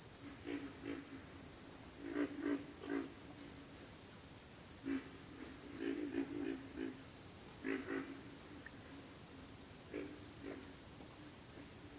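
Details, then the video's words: Pig frogs calling: short, low, rough grunts in clusters of two to four, spaced irregularly through the chorus, over a steady, shrill insect trill that runs the whole time. "pig frogs - sound effect"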